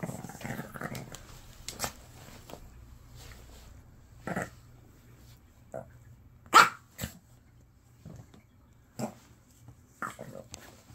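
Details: Shih Tzu named Lotto, a mother dog born in 2015, kept as a pet indoors, throwing a tantrum when told to go over to a family member. Short rough growls and a few sharp barks come scattered across the clip, with faint voices between them.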